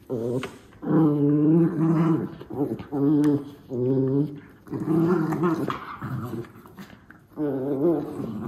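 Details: Playful Miniature Schnauzer brothers wrestling inside after a meal; repeated rolling growls in short bursts, six or so bouts over several seconds, with brief pauses and faint scuffling between.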